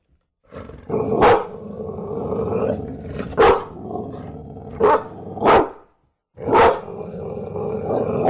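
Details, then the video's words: Bulldog giving about five sharp, loud barks at irregular intervals, with a low rumbling, grumbling growl running steadily between them and a brief silence near the end. "Tunog ng BULLDOG | Sound of BULLDOG"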